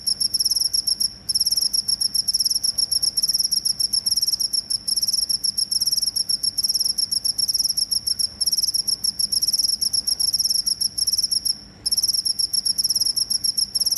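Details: Cricket chirping, presented as a sound for driving away rats: a continuous high, shrill trill of rapid pulses with a fainter overtone above, broken by brief pauses near one and twelve seconds. No other sounds stand out.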